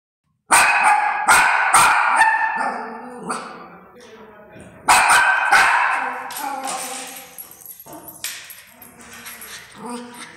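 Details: An angry Indian Spitz (Pomeranian) barks loudly in sharp, rapid bursts, with quieter voice-like sounds between volleys.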